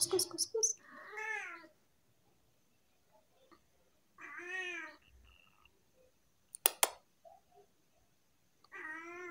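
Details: Tabby house cat with a lot to say meows repeatedly indoors: bending, wavering meows spaced a few seconds apart, with brief clicks, a sharp tap and quiet room sounds between.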